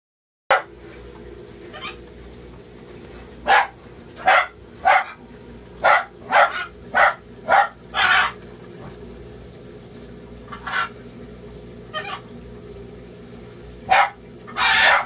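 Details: Pet sugar gliders with a newly born joey, noticed only once the parent let go of it; a series of short, sharp yipping barks, about a dozen in fifteen seconds at irregular intervals, over a steady low background hum.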